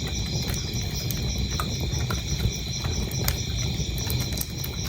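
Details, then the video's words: Brief run of high, fast-pulsed cricket chirping at an even pitch, mixed with the heavy crackling and occasional loud pops of a fireplace. "cricket sounds"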